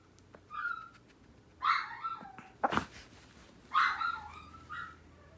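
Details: Household dogs, an older sister answering a younger sister's cries; three drawn-out high whines spaced about two seconds apart, with a sharp knock in between, inside a quiet room.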